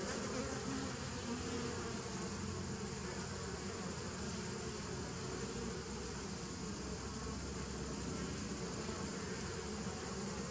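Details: Long unbroken hum of bees, dated 27 September 2018: a deep, dense drone with stacked low bands and a constant airy hiss, its loudness flat from start to finish.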